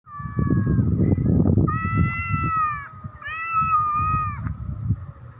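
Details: Black domestic cat threatening another cat: drawn-out, steady, tonal yowls, each held about a second, with low rough growling and rumbling underneath.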